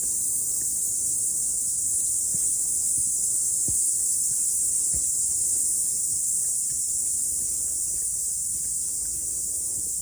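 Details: Cicadas singing after the rain during a morning hike up a mountain, a continuous shrill high buzz holding level the whole time, a few low knocks and brushing sounds underneath.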